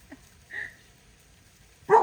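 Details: At an animal sanctuary, a dog alarmed by an alligator creeping toward it gives one sharp, loud bark right at the end, after a brief thin whining tone; otherwise the surroundings are quiet.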